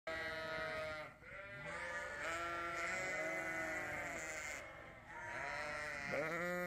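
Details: Female Dorset lamb on a farm, hungry after waking from a deep nap and going to find her mother, gives loud wavering bleats one after another, with brief pauses between calls.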